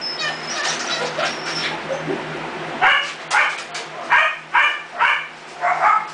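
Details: Ella's mixed-breed puppies, two days short of three weeks old, eyes newly open and learning to stand: a quick series of short, high whimpering yips, about six in three seconds, over a steady low hum.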